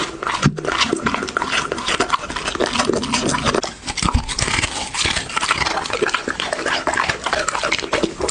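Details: Dog eating for a close-miked ASMR recording: dense, continuous crunching and smacking chews with sharp broadband clicks throughout, a brief louder knock near the start, no barking or other voices.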